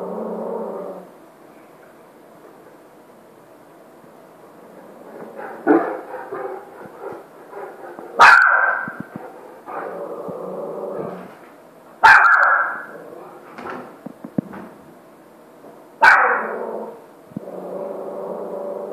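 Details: Saint Bernard Maverick, weighing 85 kg, coaxing a puppy to play: three sharp, loud barks spaced about four seconds apart, with low grumbly growl-like vocalising and rustling in between.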